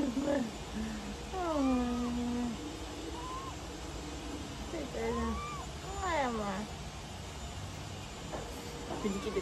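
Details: Pet cat on an October 21 morning, meowing while being coaxed to eat: several arching, drawn-out meows that rise then fall, mixed with a person talking and faint music in the background.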